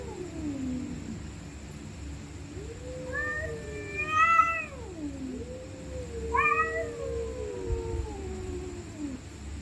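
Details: Night-time fight between stray cats: a long, sliding growl-moan climbs into two piercing rising screams, then trails off in a sinking wail, over low rumbling noise and a faint steady high hum.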